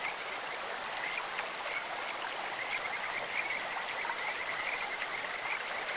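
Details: Kajika frog calling in a clear mountain stream: faint, high, bird-like trilled notes come and go through the clip, half-buried under a steady rush of flowing water.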